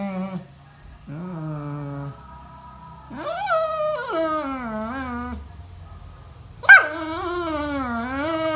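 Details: Morning alarm from a Labrador Retriever: a series of wavering, mournful whines and howls rising and falling in pitch, with one sharp high yelp near the end leading into a long, undulating howl.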